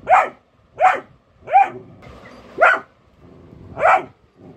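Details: Pet golden retriever puppy, alert while being pranked, gives five loud, clipped barks at a steady pace of roughly one per second, with brief pauses between them.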